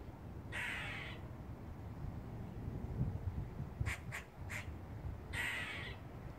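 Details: From the roof of a house, a squirrel's warning call: two grating rasps bracketing a quick run of three sharp chucks, against low rumbling background noise.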